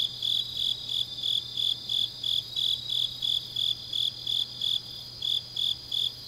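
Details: Night chorus of grass insects in autumn, Changnyeong, South Gyeongsang Province: evenly spaced bright chirps roughly three each second, a faint continuous buzz above, low steady hum underneath.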